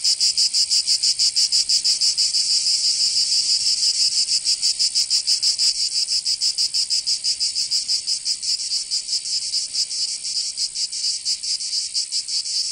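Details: Cicadas in the Provence summer of southern France produce an intense high shrill buzz, rapidly and regularly pulsing, easing slightly in loudness toward the end, no other sounds present.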